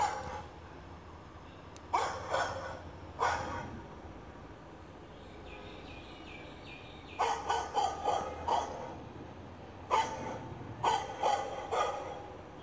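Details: A male Shih Tzu puppy, two months old, gives short, sharp barks in quick clusters with brief quiet gaps between them, reacting to a recorded dog-bark sound.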